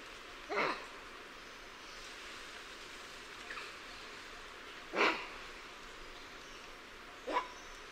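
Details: Macaques, lion-tailed and bonnet, sounding the alarm: three short, harsh barks spaced several seconds apart, the middle one loudest, with a faint call between them in a hissy background.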